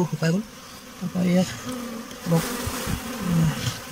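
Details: Honey bees handled during beekeeping as a swarm is caught; low droning buzz comes and goes in short bursts of about half a second, with voices and rustling handling noise around it.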